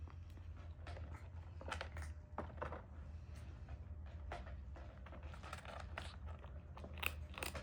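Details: Kitten eating its lunch beside an adopted brother, recorded with original sound: irregular crunchy, crackling bites and chewing bursts every second or so, some sharper snaps, over a steady low indoor hum in a small room.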